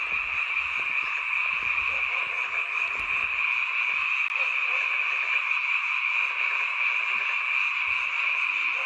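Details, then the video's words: Many frogs calling together at night near a mountain village home, a sound heard only at this time of year; dense, unbroken trilling chorus centred on a steady high band, with faint low thumps. "잠이 오지않은 밤 개구리 소리와 잠을 청해보세요"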